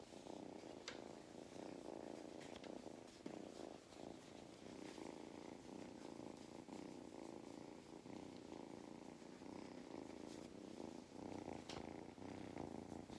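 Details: Mustard, a farm cat in County Kilkenny, Ireland, purring steadily while enjoying belly rubs; a continuous low rumbling hum with brief soft clicks and rustles.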